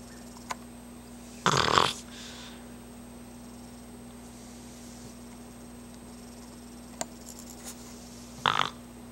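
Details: D'Jango, a Boston Terrier, snoring while asleep indoors; two harsh, rasping snorts about seven seconds apart, with a steady electrical hum and a couple of faint clicks in between.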